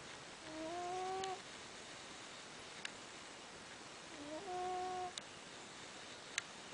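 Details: Anakin, a cat at rest and asleep, snores in two whistly nasal tones, each about a second long and stepping slightly upward, spaced roughly three and a half seconds apart, over steady hiss with a few faint clicks.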